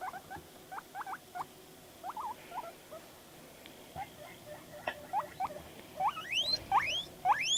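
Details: Pet guinea pig named Panda making noises while reacting to videos; scattered short squeaky notes give way near the end to loud rising whistled wheeks, several in quick succession.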